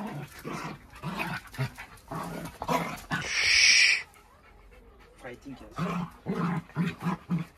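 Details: Two Jack Russell Terriers, close friends, wrestling for fun: short low growls and grunts come in rapid bursts, broken by a loud hissing rush of noise midway, with human speech mixed in.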